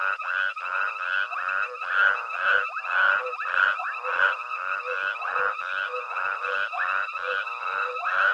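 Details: At Hwange Safari Lodge, a night chorus of frogs accompanies foraging elephants; many croakers overlap in uneven, pulsing bursts, the loudness swelling and dipping over the stretch.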